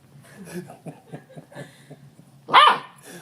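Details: Friendly, playful Labrador Retriever puppies; soft low pulsing sounds lead into one loud, high, yelping bark near the end, followed by a quieter sound.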